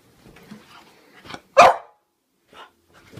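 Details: A French Bulldog, scared of a toy clown it seems to think is alive, gives a single sharp, startled bark, with softer huffs before and after.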